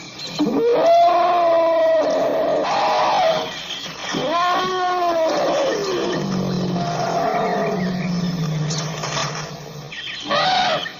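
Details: African elephant producing loud, wavering tonal trumpets with strong harmonics, one rising and falling in an arch, then a lower drawn-out groaning tone, and a brief final blast.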